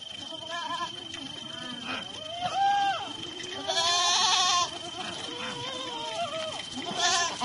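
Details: Sojat Shirohi goats, males and females, bleat repeatedly at Pune, wavering nasal cries overlapping one another, with a steady high electrical whine behind.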